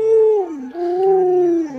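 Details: Alaskan Malamute Luoluo vocalizing at its sick, bedridden owner: a loud tonal howl that slides downward, then rises into a second wavering note and dips again at the end, with rich overtones.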